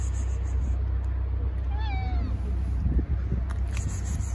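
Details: Tabby stray cat calling from its shelter while hungry for food, a single brief, distant meow that rises then slides down, almost buried under a loud, constant low rumble of engine noise.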